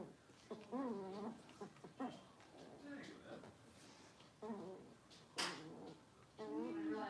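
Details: Six-week-old blenheim Cavalier King Charles Spaniel puppies, a litter of five kept indoors in a puppy pen, give wavering, high whines in short bursts with rising and falling pitch, separated by pauses, while people talk quietly nearby.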